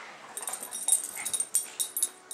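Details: Puppies give a brief, thin high whimper amid a busy run of sharp clicks and metallic jangling rattles.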